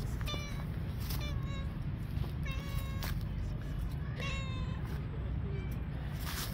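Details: Stray cats sitting on a park bench, waiting to be brought food, give a series of short harmonic meows, about five in six seconds, some rising then falling, over steady low outdoor rumble and faint clicks.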